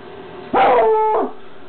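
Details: A female Bluetick Coonhound gives one drawn-out, tonal bark that holds steady before dropping away.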